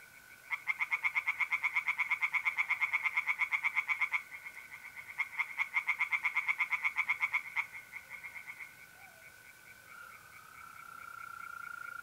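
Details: Tree frogs singing by night in a pond in north-east Italy in mid-April: fast, rapid-fire pulsed croaking bursts of several seconds, with a steady high trill of mole crickets running underneath and continuing after the frogs pause.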